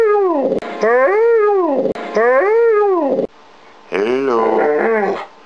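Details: Pet dog trained to say hello, producing drawn-out howling vocalizations shaped like the word, two rising-falling harmonic calls followed by a higher wavering one, with short pauses between.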